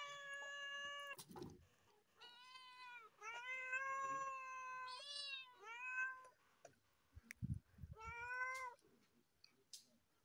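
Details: Loud meowing from cats perched on top of a car, a run of about six drawn-out, harmonic-rich meows, some bending up or down in pitch, with a few dull thumps between them.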